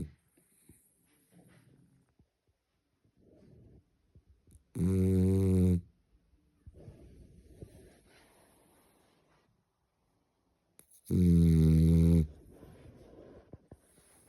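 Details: Resting dog snoring indoors: two loud, deep, rattling snores about six seconds apart, each lasting over a second, with soft breathing sounds between them.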